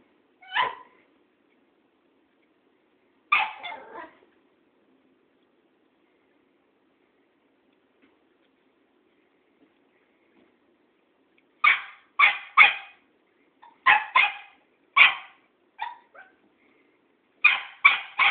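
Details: Cairn Terrier Tara squaring up to Thoman, an old tomcat: two isolated sharp barks, a long silence, then a rapid volley of clipped, high barks roughly every half second.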